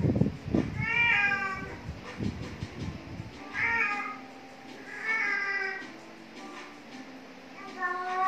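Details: Khao Manee cat catching a worm, giving a series of clear harmonic meows, each about a second long with a slight rise and fall, roughly every one to two seconds, over low thumping and handling noise at the start.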